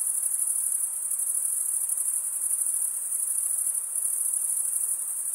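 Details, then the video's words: Dense cricket chirping forming one constant piercing high note, with a gentle waver in volume and a quiet hiss underneath. "cricket sound"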